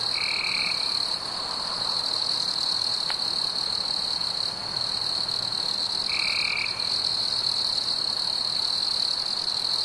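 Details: Crickets sing a constant shrill trill on a summer night, briefly easing once, with two short lower buzzy notes about six seconds apart from a second caller.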